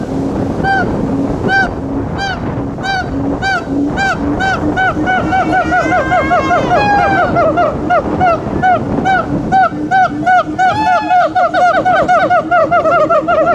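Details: Siamangs singing a jungle-like chorus: rapid repeated hooting notes with strong harmonics, a steady low booming pulse beneath, rising and falling whoops building in the middle, continuous loud calling throughout.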